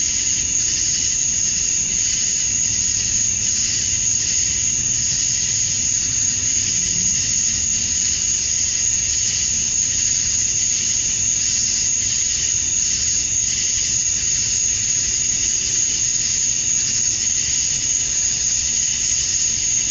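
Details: Male cicadas singing at summer dusk in Georgia, USA, chirping to attract females: a continuous, shrill, high-pitched drone with a steady piercing tone over a broad hissing chorus, unbroken throughout, with no other clear sounds.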